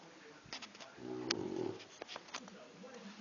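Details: Boxer puppy asleep indoors, snoring with a single rough, rattling breath lasting about half a second, followed by soft clicks and quiet breathing.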